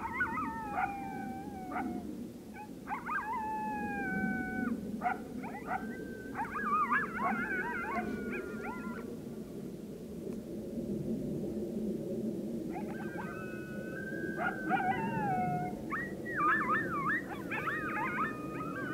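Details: Coyote chorus at full moonrise on 9 October 2022; several animals give wavering high howls and yips in two bursts, separated by a quiet gap, over a steady low rumble of background noise.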